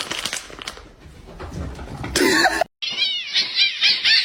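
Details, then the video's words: Kitten meowing indoors: after muffled handling noise and a brief cut, a run of shrill, high, wavering squeals follows in quick succession, with people talking faintly. "kitten meowing"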